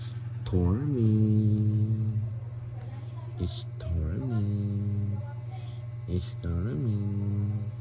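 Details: Persian cat named Storm giving three drawn-out meows, each rising briefly then sliding slowly downward, spaced a few seconds apart, over a steady low hum in the background.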